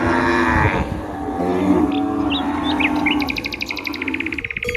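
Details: Cattle outdoors, a low drawn-out moo running under the first seconds while songbirds give quick chirps and a rapid trilling series near the end.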